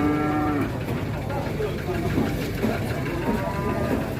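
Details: Giant Pegon cattle at a bustling Indonesian cattle market; a short, steady harmonic moo opens the recording, then fainter, brief lowing from other animals rises through a constant roar of crowd chatter and market noise.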